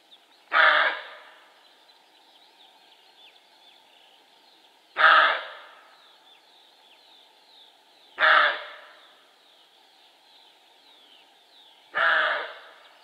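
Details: Four loud, gruff barks from a male roe deer, spaced roughly three to four seconds apart, each short and harsh, with faint bird calls between them.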